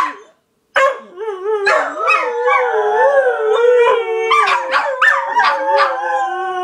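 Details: Howling dogs after a brief silent start; drawn-out, sliding howls overlap with sharp yips and whines, several voices layering into a dense, wavering chorus.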